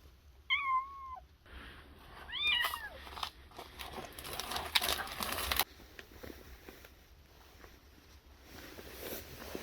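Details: Stray yard cats reappearing outdoors. Two distinct meows, the first bending down at its end, the second rising then dropping two seconds later, followed by rustling and handling noise, then quiet.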